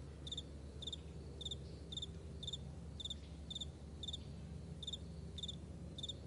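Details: Morning chorus of crickets across a wide meadow: crisp, high, pulsed chirps repeating roughly twice a second, with a few fainter chirps between them and a low hum underneath.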